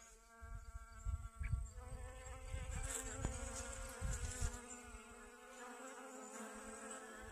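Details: Honey bee working sunflowers for pollen, its back legs loaded with pollen, in a garden on a sunny 25 August 2021 after rain; an unbroken low buzzing drone that wavers slightly in pitch, with bumps of wind and handling noise.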